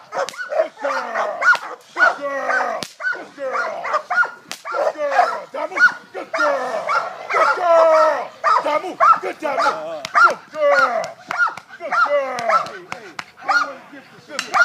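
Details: Italian Mastiff named Kane at work, dragging a handler: a run of deep, rough barks repeated almost twice a second, unevenly spaced, with human voices mixed in among them.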